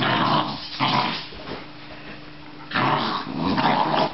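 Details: Australian Terrier giving harsh, throaty growls in two loud spells at the start and again after a lull in the middle, the sound gritty and broadband.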